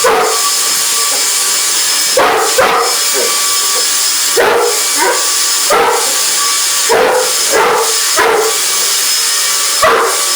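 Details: English Mastiff barking at a running vacuum cleaner indoors: about nine deep, short barks in uneven bursts, some doubled, over the vacuum's steady loud hiss and drone.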